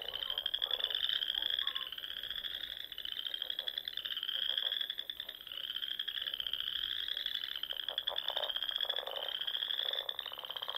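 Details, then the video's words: Dusk chorus of frogs at a pond in the Nebraska Sandhills in spring, a constant high trilling wall with lower ratchety croaks surging and fading in repeated bursts. "RELAXING SOUNDS OF FROGS"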